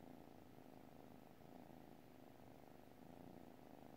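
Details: Domestic cat purring while asleep: an even, low, buzzing drone that swells and eases with each breath, no other sounds.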